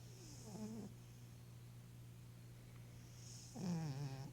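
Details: Eleven-year-old female Maine Coon cat, once a starving stray, living with hyperthyroidism and kidney disease, snoring while asleep and dreaming: two rough, raspy breaths, one at the start and one about three seconds later, over a steady low electrical hum.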